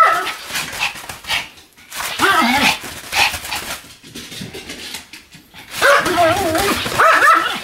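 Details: Pomeranian named Sam, spinning at high speed about 155 times on a new mat, 24 November 2015, gives high, wavering whine-like barks in short bursts, with a person talking in between.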